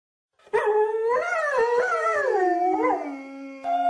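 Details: Dog howling: one long tonal howl over about three seconds, wavering up and down in pitch with several swoops, then sliding lower and ending in a steady held tone, with a brief second rise at the end.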